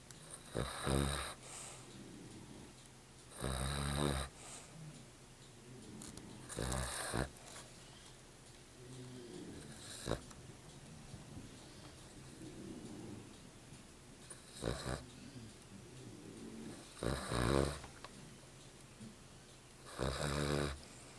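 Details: A black Cavalier King Charles Spaniel snores in loud, rasping bursts every few seconds.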